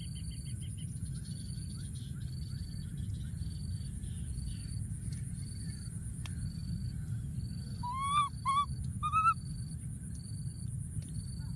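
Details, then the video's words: Wild baby monkey hiding in a thorny tree, calling for his friend: three short, clear, wavering cries bunched near the end, over steady pulsing insect buzz and a low background rumble. "baby monkey, hiding in a thorny tree and continuing to call for his friend"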